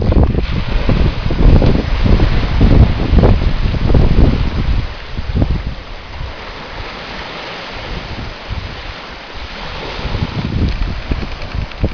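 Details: Heavy wind rumble and buffeting on the microphone throughout, with no animal sound heard.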